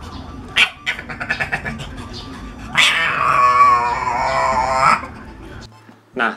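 A civet gives a drawn-out, harsh, wavering growl, a warning that it feels threatened.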